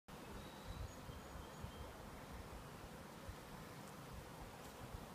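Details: Honey bees from two packages, newly installed in Warre hives and settling in, give a steady low buzzing hum that fills the recording, with a few faint higher tones above.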